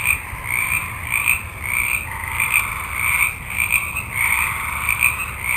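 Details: A multitude of frogs croaking in a forest at night. Rapid, uneven bursts of rasping calls overlap in two stacked bands, with a steady high whine running behind.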